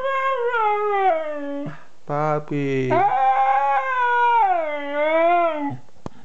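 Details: A 2-year-old Siberian Husky howls in long, wavering tones, "talking", with a brief lower, rougher passage in the middle.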